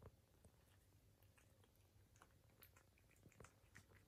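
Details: A British Shorthair cat eating, with soft, irregular crunches and wet clicks over a low, steady hum.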